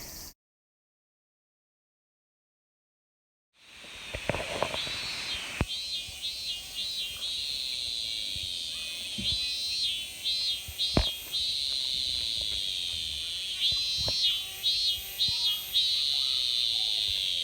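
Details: Cicadas (semi) in a Japanese summer give a shrill, high buzzing song, swelling into pulsing, warbling phrases over a steady drone.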